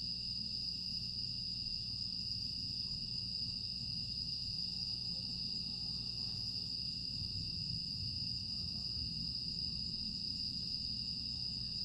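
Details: Grass insects on a quiet summer night in Aewol, Jeju, on 25 August 2022: a steady, unbroken high-pitched shimmering chorus with a bright constant tone and a lower band beneath, over a soft low rumble of background noise.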